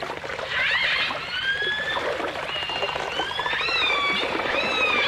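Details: Several dolphins, with orcas, in a 1989 stereo recording, whistling together: long gliding tones, some arching upward and falling back, layered over a constant watery hiss.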